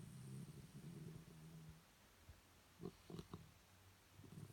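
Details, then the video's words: Low, gurgling snore from sleeping Shih Tzu dogs, a rumble of nearly two seconds followed by a few brief clicking snorts and soft breathing sounds. "Snoring Shih Tzu"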